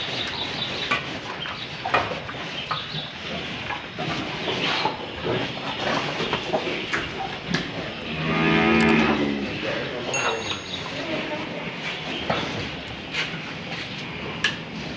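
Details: Old, tough cow being fitted with a nose rope, lowing once midway: a single moo of about a second, with a stacked tone that swells and fades, amid rustling, handling knocks and sharp clicks.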